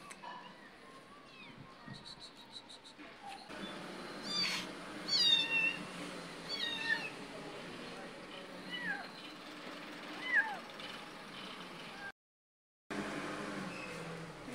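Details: Mother cat with her kittens as she eats her food: a run of thin, high mews with rising and falling sweeps, clustered in the middle and one more near the end, over steady rustling and low background noise.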